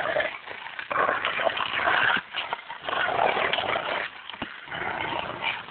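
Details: Two Rottweilers playing together, giving rough, harsh growls and grunting yips in bursts of a second or two, broken by brief quiet gaps.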